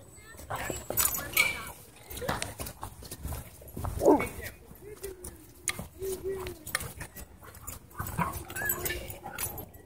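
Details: Dogs at play in a dog park give short tonal yelps and whines, one sharp rising cry standing out midway, with rustling, scuffling movement and a person's voice nearby.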